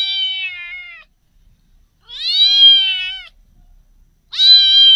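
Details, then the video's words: Loud, drawn-out kitten meows, three long cries with rich harmonics, steady in pitch then falling slightly, separated by silence. "Kittens meow"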